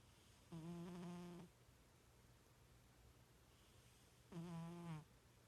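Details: Sleeping pet cat snoring, two drawn-out, buzzy, tonal breaths about a second long and nearly four seconds apart, with quiet room hush between them.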